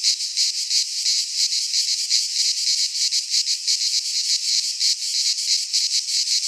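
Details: In a Greek pine forest in midsummer, cicadas fill the air with a dense, shrill, buzzing drone that pulses rapidly without pause.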